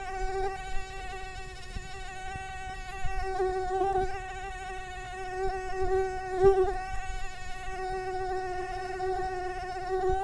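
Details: Continuous whining hum of a mosquito's beating wings, a sustained tonal drone with strong overtones, pitch drifting slightly up and down, with a few brief soft clicks and louder moments.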